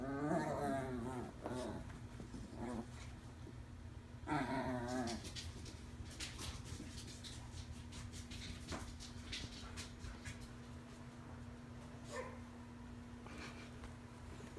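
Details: Two Chihuahuas at play, a five-month-old rescued female puppy named Lucille learning to play with a toy alongside Davie Jones. Two short harmonic growl bursts open the recording, followed by clicks, rustling and a constant background hum.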